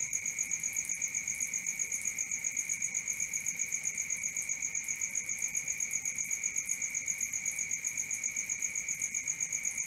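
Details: High, metallic night cricket song: continuous rhythmic pulses at about four per second over a faint higher ringing, with a quiet background and no other animals.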